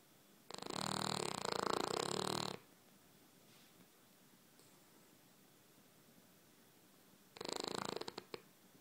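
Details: Pet dog snoring like a pig while having a dream, indoors; two loud, rough, broadband snores, the first lasting about two seconds, the second starting near the end, with quiet room between.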